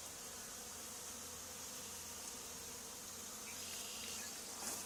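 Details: Honey bee swarm settled on the wall of an old barn, two days after another hive was cut out of it; a steady, dense droning hum with a soft hiss, continuous and unbroken, with no voices.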